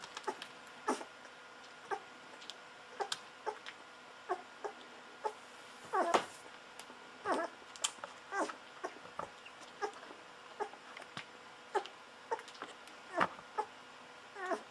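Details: Golden Retriever puppies aged 11 to 13 days, litter of Aiko of Haarby and Lady Dina, giving short squeaky whimpers and yips scattered irregularly through the recording, some sliding in pitch, with faint background hum.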